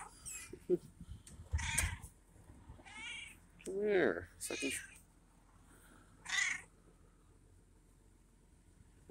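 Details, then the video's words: Hungry feral male cat meowing loudly in the morning to demand breakfast. Drawn-out, wavering meows come every few seconds, with a few shorter calls and a faint voice in the background. "Vocal Cat Indicates He is Hungry"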